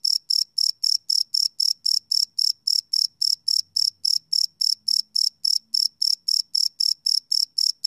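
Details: Crickets at night, recorded live on a Sony PCM D100: a bright, high chirp pulsing steadily about four times each second, with a faint low hum briefly underneath.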